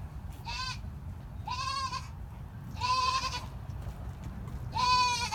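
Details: Goat mother in the middle of giving birth repeats short, shaky bleats, four in five seconds at a fairly even pace, the later ones louder, over a quiet low hum.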